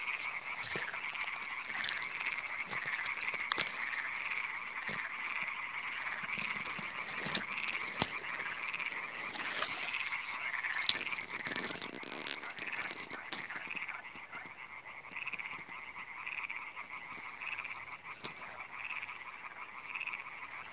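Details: Iberian tree frogs (Hyla molleri) give advertisement calls in a chorus of fast, rasping, pulsed calls that run on without a break, recorded in 2017.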